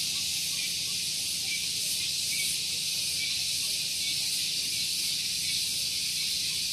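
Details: Cicadas on Gunung Geulis, Bogor, West Java, in the morning beside a vehicle parking area. They give an unbroken, very loud high-pitched buzzing hiss that holds even in strength, with a faint low background hum.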